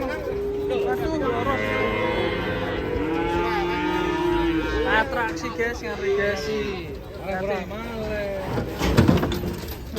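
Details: Fat cattle lowing: several long, deep moos overlap and rise and fall in pitch across the clip, some held for a couple of seconds, with more bellows crowding in near the end and a steady background hum.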